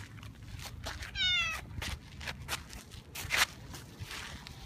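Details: Female boss cat named Kurishiro, stroked on a lap in a park caught between rival cat factions; one short wavering meow with rich harmonics, amid rustling and faint outdoor background noise.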